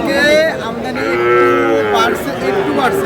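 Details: Sahiwal bull at a cattle market on 14 February 2026, bought by a farmer from Narayanganj, Bangladesh. A drawn-out, rising then falling harmonic moo, followed by a second bellow, with men bargaining nearby.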